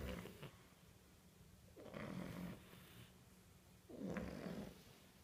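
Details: Baby French Bulldog puppies snoring in unison, with low rattling breaths repeating about every two seconds.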